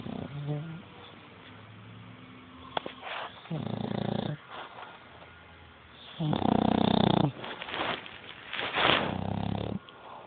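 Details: Dog snoring loudly in uneven rasping bursts, some long and rough, others short snorts, with a sharp click early on and a quiet hum between breaths.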